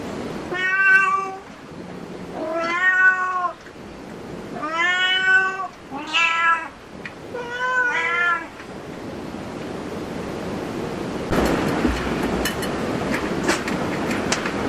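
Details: Series of five arched meows about every two seconds from a cat at a cat cafe, rising then dropping, followed by several seconds of broadband rustling noise.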